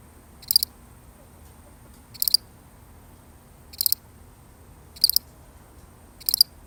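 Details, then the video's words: A single lone cricket, recorded for real, gives short high chirps spaced about one and a half seconds apart, each a quick cluster of pulses, over a faint steady background hiss. "The sound of one lonely cricket"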